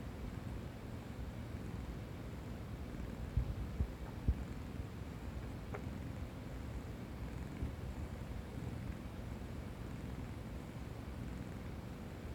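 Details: Sleeping tabby cat resting on a stomach and listening to its gurgles, giving a continuous low, even purr for the whole stretch, broken only by three faint taps around the fourth second and a thin click near six seconds.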